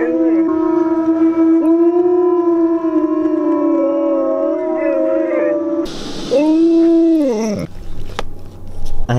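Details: A Siberian Husky, set off by a speaker in a howling tantrum, gives long, wavering howls with rich harmonics, sliding up and down in pitch.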